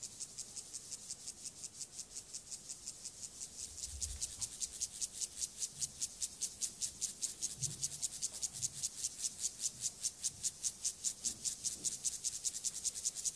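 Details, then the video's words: Male Siberian grasshopper (club-legged grasshopper), Gomphocerus sibiricus, singing a courtship song to a female before mating; dry, high rasping pulses repeated steadily about two or three times a second, growing louder after four seconds, with faint low thumps beneath. "Sexualverhalten, Keulenheuschrecke, Gomphocerus sibiricus"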